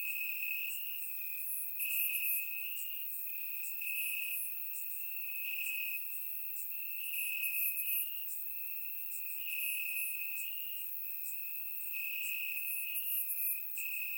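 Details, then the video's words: Crickets chirp in the grass on a warm summer night in Bulgaria, captured with a surround microphone: a sustained piercing trill, pulsing slightly in loudness, with quick high chirps recurring throughout. "Cricket Sounds - Crickets Chirping at Night"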